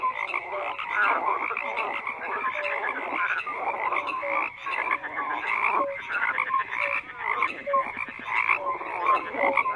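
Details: A steady mass of frog croaks, many callers overlapping into a continuous rattling, buzzy wall of sound with brief clear notes poking through. Loudness swells and dips without pause.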